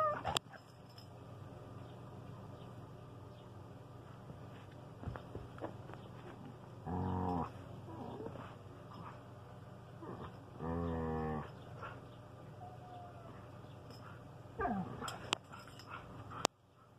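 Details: Standard poodle Enki and Manson the talking husky, two pet dogs talking to each other: two drawn-out, harmonic howling vocal bursts, each about half a second long, near seven and eleven seconds, over a steady low hum with scattered clicks.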